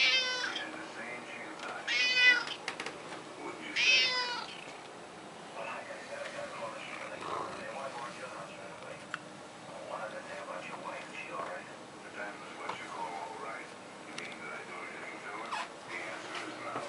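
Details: Indoor pet male cat being given a fishy treat, recorded just after midnight in March 2018, gives two clear rising-falling meows about two seconds apart near the start, followed by a person speaking and faint handling noises.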